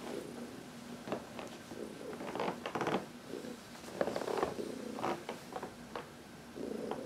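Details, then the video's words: Heidi, a 14-year-old senior cat adopted from the Humane Society of New York City, purring in contentment while massaged in the sun on March 19, 2021; soft low purring patches mixed with rustling and handling noises indoors. "Heidi — Massage in the Sun"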